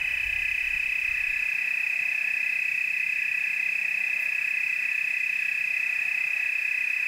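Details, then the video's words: Loud, close tree cricket chorus recorded in Oregon's Willamette Valley: a bright continuous trill at a steady high pitch with fainter layered tones, quiet otherwise apart from a brief low rumble at the start. "Tree cricket chorus"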